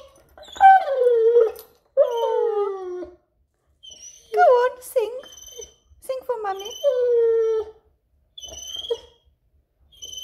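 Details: Male German Shepherd pet singing at the back-garden door on the owner's command, excited to go out and play: several drawn-out, harmonic whining howls that slide downward, in separate bouts with short silent gaps.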